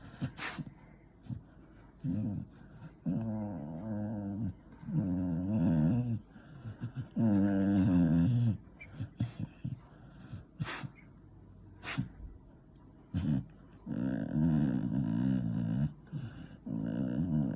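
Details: An 8-year-old male Beagle gives a series of low, drawn-out groaning grumbles, each lasting one to two seconds, while getting his ears cleaned.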